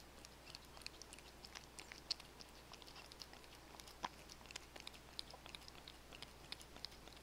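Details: Domestic cats eating wet food, dry food and bonito flakes, recorded on modest equipment: a steady stream of soft, sharp clicks and wet smacks from licking and chewing, scattered irregularly over a quiet low hum.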